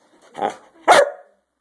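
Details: Dogs at play, spending their day playing; two sharp barks, a softer, lower first bark then a louder, harsher one a half-second later, followed by silence.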